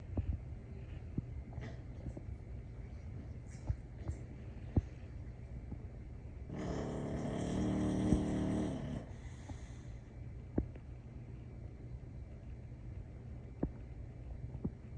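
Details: An English Bulldog in Houston, Texas snores in its sleep, a low, rumbling, rasping breath sound.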